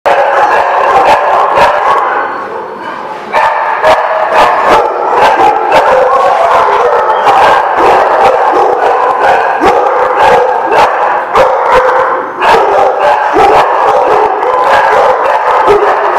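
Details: Many dogs at The Barking Lot, recorded 13 March 2017, barking nonstop in a dense, overlapping chorus of sharp yelps and barks. The din barely drops for a moment near the third second before surging back.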